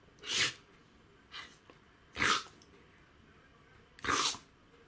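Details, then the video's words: Dog in a sneezing attack: three sharp, explosive hissing sneezes plus one softer snort in under five seconds, spaced roughly one to two seconds apart, with little else audible. "Dog sneeze attack / Собака чихает"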